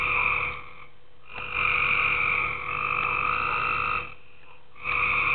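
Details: Tree frogs calling at night in a pool: drawn-out, buzzy croaks with strong bright overtones, about one second each, three bouts separated by short quiet gaps, over a steady faint hum.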